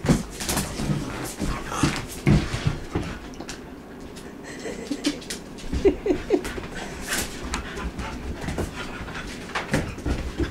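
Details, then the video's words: Two Border Collies, young hyper Peach and Maggie, playing on a cold snowy day in Iowa: scuffling thumps and bursts of breath, with a cluster of short whiny growls in the middle and more rustling after. "Silly Border Collies Playing"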